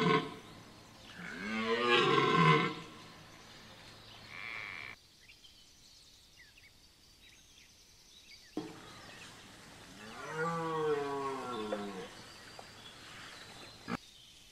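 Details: Red deer stag roaring during the rut at Chambord, Loir-et-Cher: two hoarse, moaning bellows separated by a long silence, the second sweeping up and down in pitch.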